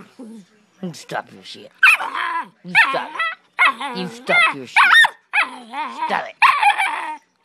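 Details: Pit bull puppy arguing with its owner, answering her in a nonstop stream of whiny, warbling yowls and sharp yips, each burst about half a second long, packed closely with brief gaps and a woman's voice mixed in.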